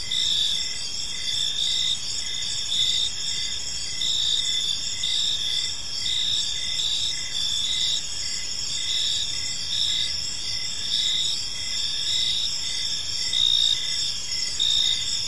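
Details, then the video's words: Crickets chirping on an evening in a park, a dense chorus of high steady trills with shorter pulsed chirps repeating roughly once a second, layered continuously over faint low background noise. "Cricket Sounds in a Peaceful Park"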